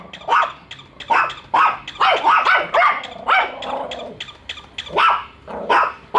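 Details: Bico and Faith, two household dogs, bark nonstop on first meeting a toy dog; rapid, uneven run of harsh barks, some drawn out and overlapping, with occasional growly tones.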